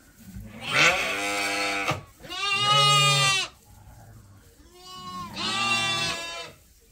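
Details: Sheep on a farm awaiting their feed during daily chores, with lambs among the groups: three long, loud harmonic bleats, each about a second or more, separated by short pauses.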